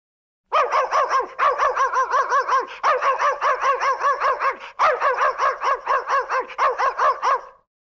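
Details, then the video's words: Excited dog yapping loudly in a rapid, steady run of short, sharp, high barks, several per second, with one brief pause midway and another near the end, on a clean background. "Exciting dog laut"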